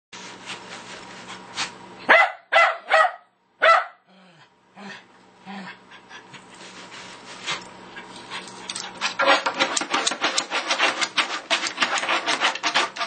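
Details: Lakeland Terrier that loves music, playing bongo drums during daily practice: scattered drum taps, then three loud harmonic barking yelps in quick succession, a pause, and finally rapid, irregular bongo slapping.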